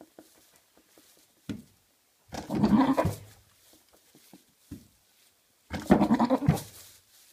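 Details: Two long, throaty, bleat-like meows with a pulsing quaver from Maine Coon cats, a father and son, with short soft thumps and clicks between them in a small room.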